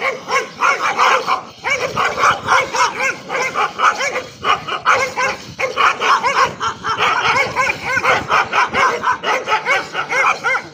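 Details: A dog yipping and barking almost without pause: quick runs of bright, high, harmonic-rich barks, several per second, broken by brief gaps, loud and close throughout.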